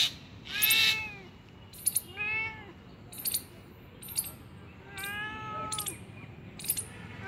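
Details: Three clear, rising-then-falling meows from a cat found two kilometres from home, each short and plaintive, arriving roughly every two seconds, with sharp clicks and light handling noise in between.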